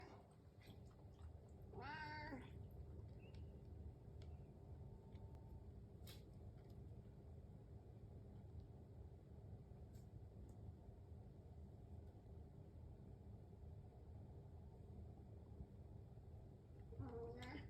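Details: House cat waiting for its breakfast in the morning, giving a single drawn-out meow with a rising then falling pitch early on and another brief meow at the very end, over a steady low indoor hum with faint clicks.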